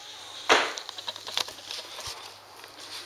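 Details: Soft clicks, handling noise and faint crackling indoors, with no animal voice heard.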